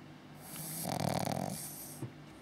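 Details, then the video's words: Six-month-old Pug-Zu pup snoring: one drawn-out, raspy, rumbling inhalation snore, followed by a faint snort and quiet breathing. "Pug-Zu Pup snoring"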